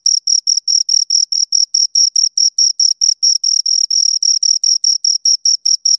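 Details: Shrill cricket stridulation from two crickets: regular bursts of high, ringing chirps repeating about four times a second in an unbroken sequence, with no background noise.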